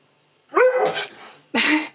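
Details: Key, a pet Husky, 'talks' at home to demand churros he is trying for the first time. A rising, whining howl-like yowl slides upward and holds, then after a short gap comes a single harsh, bark-like yelp.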